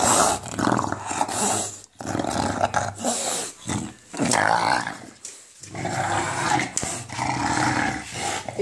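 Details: Playing with a ball, English Bulldog Enzo gives a gremlin-like monster growl: long raspy growling phrases separated by brief silences, while a person talks to him.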